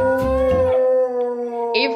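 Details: A female Rottweiler gives a long, steady, tonal howl held almost level, joining in whenever the toddler sister she copies starts singing, with the child's voice and music underneath.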